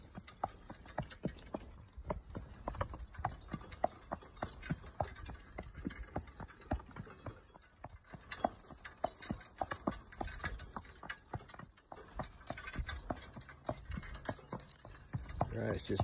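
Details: Hoofbeats of a horse in training, a steady run of dense clip-clop knocks, close to two per second, continuing without pause over a low outdoor rumble.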